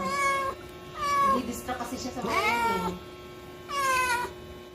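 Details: House cat giving birth for the first time: three loud meows about a second apart, then a long pause and a final rising-falling meow, with Filipino speech and soft background music between the calls.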